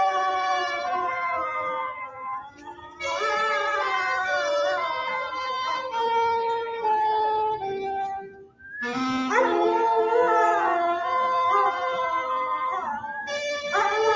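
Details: A dog howls along to the song What a Wonderful World, sung to his new friend and described as very happy. Long wavering, sliding howls over loud music, with a short break near the middle.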